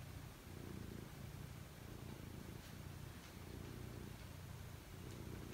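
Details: Pet cat purring while getting ready to sleep: a low, steady rumble that swells and eases with each breath, with faint soft rustles above it.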